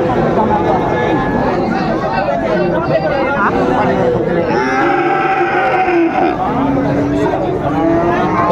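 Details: Cattle lowing at Raniganj cattle market in Dinajpur on 12 July 2024, where Friesian and crossbred heifer calves are sold; drawn-out, low harmonic moos rise over the steady chatter of a crowd of people talking and bargaining.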